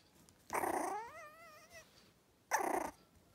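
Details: Young Yorkshire Terrier puppy vocalizing: a harsh, raspy burst that turns into a wavering, falling-then-rising whine lasting about a second, followed by a second short rough burst.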